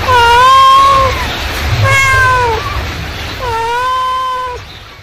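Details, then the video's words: Three long, level, wailing meows from a mother cat calling kittens. Each is drawn out for about a second and ends in a slight downward bend, over a quiet low hum. "suara induk kucing memanggil"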